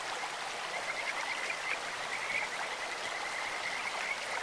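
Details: Kajika frog in a stream, with short, broken bursts of high whistled trilling at an even pitch, partly masked by steady rushing water.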